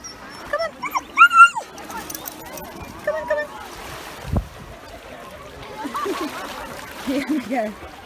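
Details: Yuki, a male Samoyed, excited on a UK beach on a 31-degree day, a happy noise rather than crying: high wavering whines near the start, a thud, then softer lower whines later, with people talking in the background.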